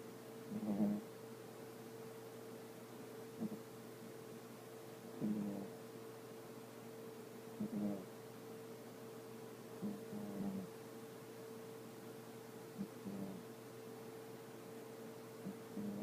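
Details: A young female pet dog asleep and snoring indoors: soft, low rasping snores repeat roughly every two to three seconds over a steady electrical hum.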